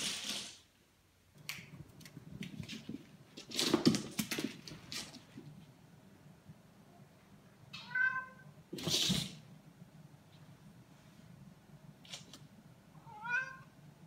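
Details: A Ragdoll cat with the "zoomies," running wildly around the house, gives two brief, rising-then-falling meows amid thumping and scuffling noises.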